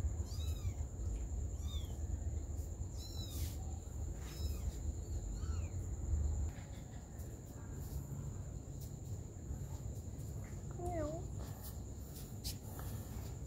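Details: A mother cat tends her baby kittens. A quick run of high, falling mews opens the recording. After a quieter stretch, one lower, wavering meow sounds near the end over constant low background noise.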